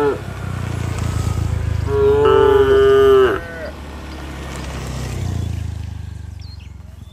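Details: Tame village cattle, part of a herd returning to the shed and calling to one another: a loud, steady, drawn-out moo of about one and a half seconds, with low rumbling background noise before and after.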